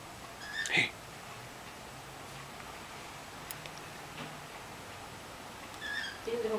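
A Rottweiler puppy gives a brief, high squeaky whimper, then another thin squeak moments later.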